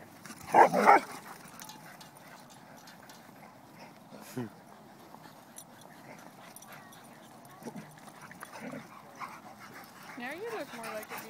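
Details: Vizslas playing at a dog park in Wilsonville: a sharp double bark at the start, then scattered soft yips and whines, with a wavering whimper near the end over steady outdoor background noise.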